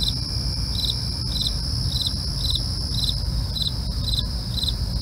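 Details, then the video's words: Crickets calling at night: short pulsed chirps repeat about twice a second over a steady, high continuous trill, with a low rumbling background throughout. "night crickets asmr"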